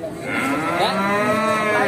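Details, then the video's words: A Pegon calf at the Bekonang livestock market in Sukoharjo, Indonesia, gives a drawn-out harmonic moo that starts low and rises slightly, holding steady for nearly two seconds. "Pedet Pegon ISTIMEWA"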